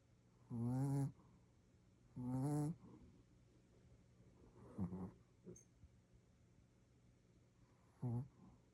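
A Shih Tzu snores loudly, low rumbling breaths repeating every couple of seconds.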